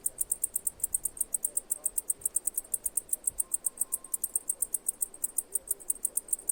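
A cicada gives steady, high-pitched chirps, repeated about six times a second.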